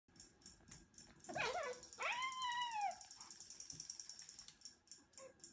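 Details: Two 15-week-old Siberian kitten brothers fighting: a brief scuffle, then one long, loud, arching squeal that rises and falls over about a second, with a steady high ticking noise in the background.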